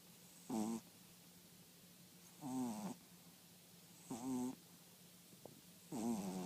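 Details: Snoring French Bulldog, with four rasping, buzzy, wheezy breaths repeating roughly every one and a half to two seconds over a steady low hum.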